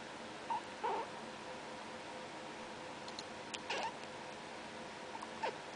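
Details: Chittering from a young male pet cat: two quick chirps early on, another cluster near 3.8 seconds and a last brief chirp around 5.5 seconds, separated by quiet gaps over faint indoor background noise.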